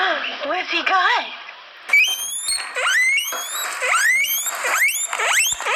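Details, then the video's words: Guinea pig squeaking: a few wavering squeals, then a series of loud, high, rising whistled squeaks that sweep upward, repeating roughly once a second, indoors. "Guinea Pig Squeaking Sounds"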